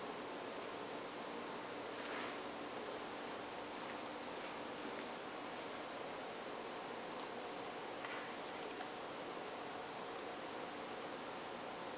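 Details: Steady broadband hiss with a few faint rustles, and no animal voice.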